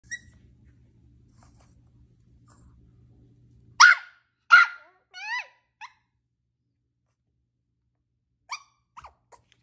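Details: Maltese puppy barking indoors: two sharp high barks near four seconds, then a short yelping bark and a brief squeak, with a few faint yips near the end; quiet room otherwise.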